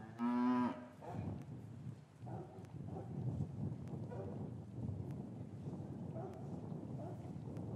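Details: Cattle yard on an English farm on a winter afternoon, calves separated from their mothers: one brief, loud, steady moo opens, followed by several seconds of low, rumbling yard noise with faint clicks and knocks.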